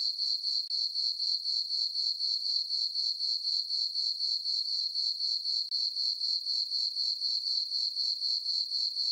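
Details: Crickets on a farm meadow at night in summer, full moon overhead, keeping up an unbroken sharp, high chirping that throbs at a regular pace of about four pulses per second.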